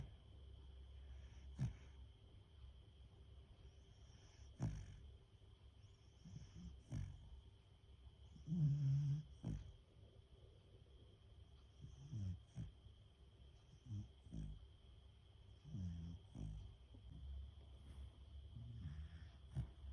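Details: Female Beagle fast asleep after lots of walking and play, snoring loudly: soft, low, rumbling snorts recur every two to three seconds in an otherwise quiet room with a faint steady hum.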